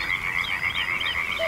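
Frogs calling in a steady, high, pulsing chorus of rapid trilled notes.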